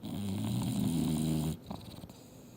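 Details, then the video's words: Mildred, an English Bulldog, sleeps on the couch while dreaming hard, giving one long, deep rumbling snore that lasts about a second and a half before fading into quiet indoor room tone. "SNORING BULLDOG SLEEPING & DREAMING HARD!!!"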